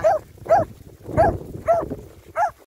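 A Finnish Lapphund gives a run of sharp, fairly high barks, about two each second.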